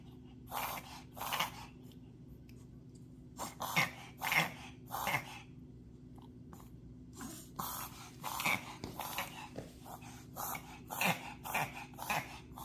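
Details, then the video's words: Pet dog Puma, whose reverse sneezing is set off by a pollen allergy, makes rapid snorting, wheezy inhaled bursts in irregular runs, roughly two per second, with short pauses between clusters; a steady low hum underneath. "If your dog is making a strange sound."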